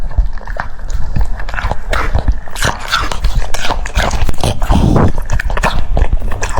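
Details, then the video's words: Cucumber crunched by a French Bulldog: loud snapping bites closely followed by moist smacking and slurping, continuous for several seconds, with low rumbling contact noise underneath. "The sound of chewing cucumbers"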